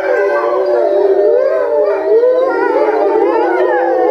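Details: Several grey wolves at Tama Zoo in Japan, filmed in November 2013, start howling all at once, their long tonal voices sliding up and down and overlapping in a chorus.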